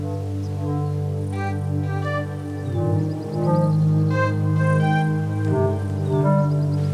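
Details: Sustained organ-like music with steady held chords and low drones; no animal calls can be heard.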